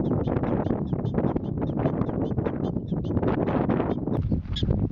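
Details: Prairie dogs calling to warn one another of danger, giving a rapid, unbroken string of short squeaky barks for several seconds against heavy low-pitched background noise.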